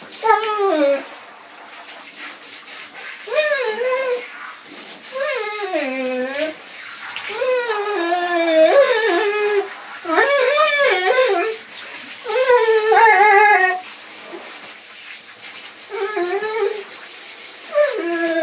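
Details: Dog singing in a long run of wavering, yodel-like howls, sliding up and down in pitch, with short pauses between bursts and a constant hiss underneath.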